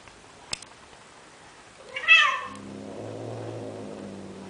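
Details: In Athens, Greece, a male cat pleads with a female Siamese cat to mate, giving one sharp bright meow after a faint click, then a steady low rumbling moan lasting about two seconds.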